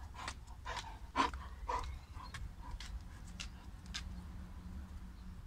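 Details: Nala, a female Boerboel who has just gotten wet, panting in quick, breathy, uneven bursts of about two per second, with a few louder huffs near the start and a low steady hum underneath.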